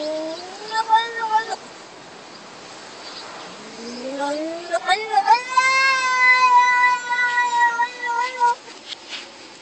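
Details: Cat yowling at a door. Two short wavering cries come first, then a long howl climbs steadily in pitch and holds a loud, drawn-out wail before fading.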